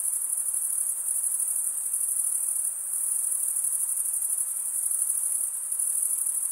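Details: Crickets, males stridulating by running one wing's edge along the toothed vein of the other, produce a steady, very high-pitched shimmering chorus of dense overlapping trills, continuous throughout with slight pulsing and no other sounds.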